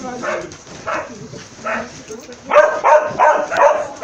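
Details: Husky among sled dogs in Altai in winter: short, harmonic barks, a few spaced calls, then a quicker burst of four.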